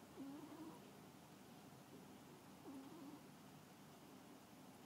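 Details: Pet domestic cat asleep and snoring: two soft, short nasal whistling tones, each rising slightly, about two and a half seconds apart over a quiet indoor hiss.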